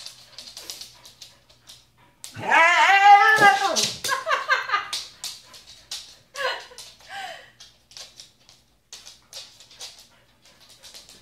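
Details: Pet Siberian Husky singing: after quiet clicking and rustling, a one-second burst of rising and falling yodel-like vocalizing, followed by shorter choppy whines and soft scattered noises.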